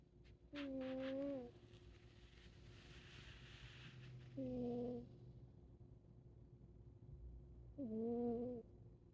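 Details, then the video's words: A sleeping Siamese cat snoring: three tonal, whistle-like snores, each about a second long with a slight downward slide at the end, spaced roughly every three to four seconds with quiet breathing between. "Volume up for adorable snoring"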